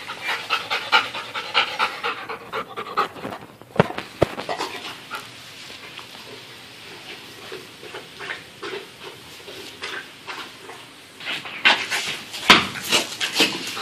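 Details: Dog in training with a coach, panting rapidly and audibly in irregular bursts, with a few sharp clicks and knocks partway through.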